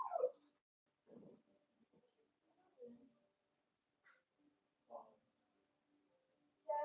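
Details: Young Blenheim Cavalier King Charles Spaniels from a litter of five born at New Year whimper and whine in their pen. Brief, scattered squeaks and soft cries are separated by silence, with sharper yelps at the start and end.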